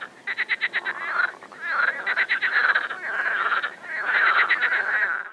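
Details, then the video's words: Overgrown pond near Moscow in warm late-May sunshine, 2021, where mating frogs keep up a steady chorus of pulsed, rattling croaks, repeated in quick series over a soft background hiss. "Frog Croaking in Water"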